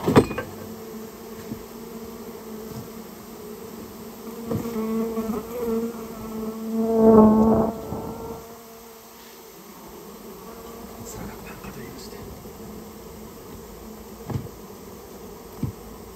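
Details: Japanese honey bee colony from inside a storehouse humming as it is removed; a low, even buzz swells and grows louder near the seventh second, then settles back, with a few knocks at the start and end.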